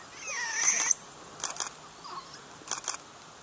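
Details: Wild golden snub-nosed monkeys watched as a group in China: a high, thin squeal bends upward with clear overtones early on, then sharp clicking bursts and a brief, softer mid-pitched call follow against quiet outdoor background.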